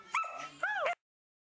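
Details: Border Collie puppies from litter J, offspring of Ejka and Jet: two short, high, thin whines, the first steady and the second bending upward then down, then sudden silence.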